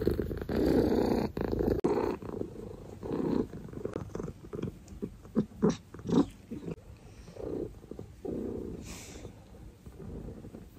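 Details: Pet cat with a loud rumbling purr at first that breaks into shorter, uneven throbbing pulses and softer bursts later, with some handling noise and rustles.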